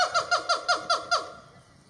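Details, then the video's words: A siamang at Metro Richmond Zoo, Virginia, on February 25, 2022, gives a quick series of six clear, falling, squeaky notes at about five per second. "Siamang vocalizations"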